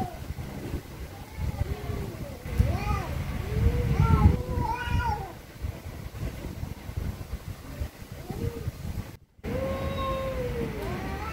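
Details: Angry cats trade many short, arching meows, some rising to sharper cries, over heavy low-pitched rumbling; a brief silent break, then one longer meow resumes.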